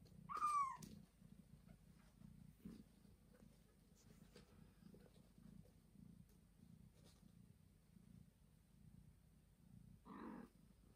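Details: Domestic cat Joanna, a mother of two newborn kittens who carries them to her owners, purring steadily as a low, rhythmic rumble throughout, opening with one short rising-falling meow and ending with a brief softer cry.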